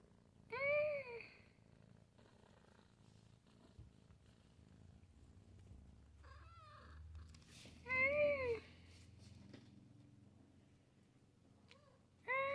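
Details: Domestic cat recorded in late 2020 making funny meowing sounds indoors: three clear, arched, tonal meows spaced several seconds apart, rising then falling in pitch, with a low rumbling background between calls.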